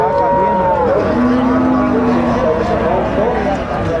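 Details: Gyr cattle, heifers among them, at the Tiangue livestock market in rural El Salvador: one long, steady, low moo holds for over a second after a higher tonal note, with people talking loudly throughout.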